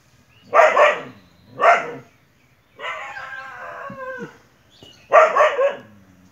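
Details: Dog in a fierce fight with a monitor lizard: loud harsh barks in a quick pair, then a drawn-out wavering whine lasting over a second, followed by one more rough bark.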